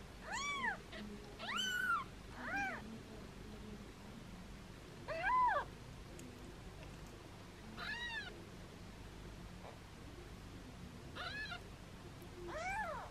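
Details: Foster kittens held in hands give playful meows, a mother cat keeping watch close by; about nine thin arched cries come in loose clusters, with a quiet gap in the middle and a soft hum of room noise beneath.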